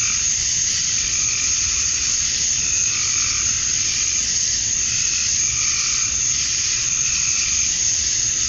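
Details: Summer dusk in Georgia, USA, with male cicadas calling to draw females: an unbroken shrill, hissing drone fills the air while softer, lower wavering tones come and go beneath it.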